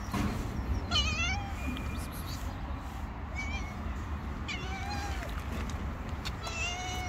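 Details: Hungry stray cats living on the street, meowing with several short, rising harmonic meows scattered through the clip over a steady low traffic-like rumble.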